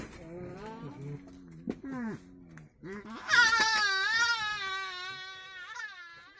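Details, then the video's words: Male coypu calling to females in a cage after joining them: a series of plaintive harmonic wails and short broken cries, ending in one long loud quavering moan that slowly fades. "Нутрии. Самец общается с самками в клетке."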